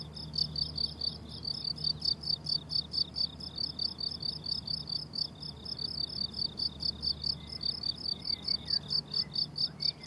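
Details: A chorus of crickets in a flowering summer meadow keeps up a fast, regular run of shrill chirps, with faint thin bird calls in the background toward the end.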